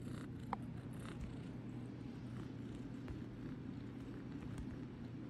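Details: Tiny runt cat named Idgy kneading and purring, a smooth low rumble carrying on evenly, dotted with quick faint taps and scratches, one crisp click early on.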